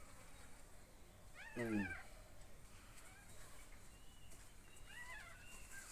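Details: A kitten brought in from a garden and given milk lets out one loud, wavering meow, then a fainter short cry a few seconds later over a steady background hiss.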